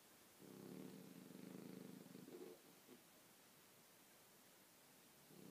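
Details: A single long, rough, pulsing snore from Kobe, a sleeping Bichon Frise, followed by a pause and the start of the next breath.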